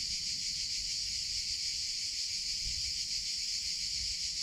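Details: Summer cicada chorus. A continuous shrill hiss-like buzz holds steady at a high pitch without pauses, with faint low background murmur.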